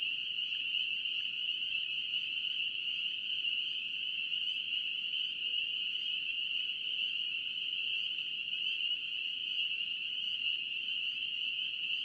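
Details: Many spring peepers, North Carolina, calling together in a constant shrill chorus of overlapping high peeps, with faint low tones briefly beneath around the middle.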